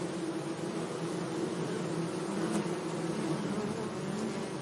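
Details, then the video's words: Bees buzzing among flowers in a sunny meadow: a steady, low droning hum with overlapping tones and a faint hiss above, fairly even in loudness throughout. "Relaxing Bee Sounds"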